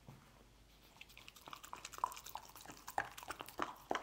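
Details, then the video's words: A dog eating egg scramble: quiet at first, then rapid crisp chewing clicks and smacks, about three a second, growing louder toward the end. "Dog Eating Egg Scramble"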